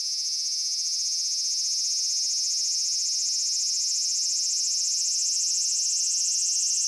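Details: Continuous shrill cicada drone from Japan, a steady high-pitched buzz with a fine rapid pulsing texture that holds without pause throughout.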